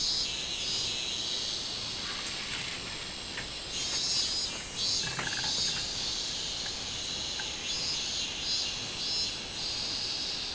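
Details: A robust cicada (minminzemi) sings a high, shrill, pulsing drone over a steady background insect chorus, recorded 24 July 2016.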